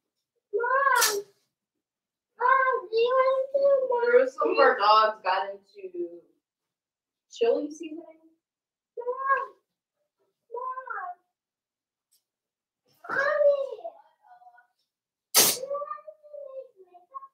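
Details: Cavalier King Charles Spaniel puppies, four weeks old, indoors during socializing with other household dogs and feeding on puppy mash: repeated high, wavering whines and cries in bursts, some drawn out, with two sharp clicks between them.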